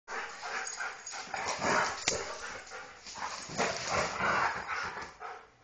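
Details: Husky and Golden Retriever playing rough together; harsh, rasping growls and snarls come in rolling bursts, overlapping and uneven, with a sharp knock near the middle.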